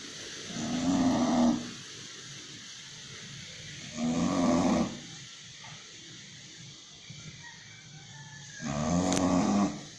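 An English Bulldog snores in loud, rasping bursts about every four seconds.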